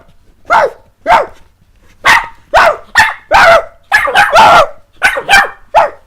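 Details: Barking from the playful puppies Jessie and S'mores, a series of loud, short yaps at irregular spacing, sometimes two or three close together, dry and clear in a quiet room.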